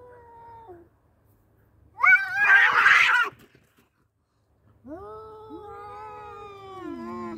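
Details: Male cats in a fight: a faint wail, then a loud harsh screeching burst, a pause, and long descending moaning howls from two animals.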